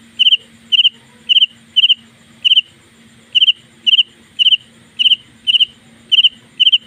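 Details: Loud nighttime chirping of a house cricket indoors, high clipped double-pulsed chirps about two per second, with a brief pause partway before the rhythm resumes, and a faint background hum.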